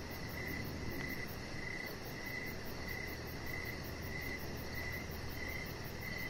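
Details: Crickets calling in the evening beside a deck: bright high chirps come in steady bursts about every half second, with a soft continuous hiss and low hum beneath.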